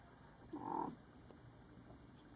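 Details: A small kitten gives one short, muted hiccup near the start, a quick low bump of sound, followed by near silence in a calm, still room.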